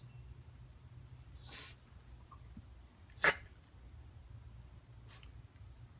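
A Shiba Inu gives a drawn-out, airy yawn, then a sudden, sharp sneeze, with a fainter snort afterward. A low steady hum runs underneath in a quiet room.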